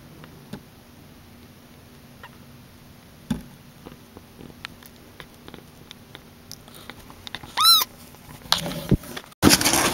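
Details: Rescued baby kitten being bottle-raised stays mostly quiet amid soft clicks and shuffling, then gives one clear, high, arching mew, followed by handling and rustling noise.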